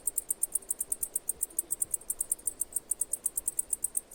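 A cicada chirps in fast, even, high-pitched pulses, about seven per second, without a break.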